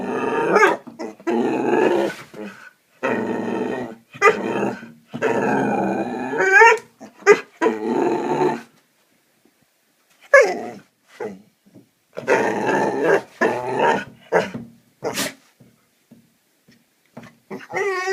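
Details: Young Hungarian Vizsla, seven months old, growling indoors in a long series of rough, harmonic bursts, several per few seconds, broken by a silent gap midway before more grumbling growls and whiny notes.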